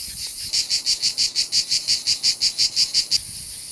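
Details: Cicadas in Provence in summer, massed like an invasion: a high, hissing buzz throbbing in regular pulses, about four a second, after a brief quieter start.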